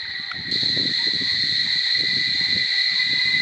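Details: Cicadas singing at Barichara: a steady, shrill, unbroken drone that swells louder after the first half-second, with faint low rustles and knocks underneath.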